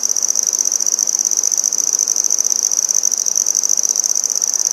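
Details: Close singing of a handsome trig, also called red-headed bush cricket, Maynard, Massachusetts, September 14, 2019: a loud, even, high-pitched pulsing trill with rapid rattling beats, unbroken throughout.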